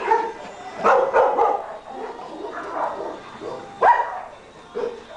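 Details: German Shepherds playing together at a coastal rescue, giving scattered short barks and yips with growly play noises between them, a few louder bursts standing out.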